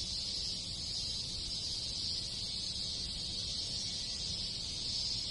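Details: Many cicadas in the countryside of rural Japan in summer, a steady high-pitched hiss-like drone held without break, with low rustling background noise beneath.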